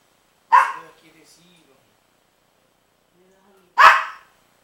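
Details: On 12-08-09 Princess the dog barks at Rocky, a baby pitbull puppy: two strong, abrupt barks about three seconds apart, with low murmuring human voices between them.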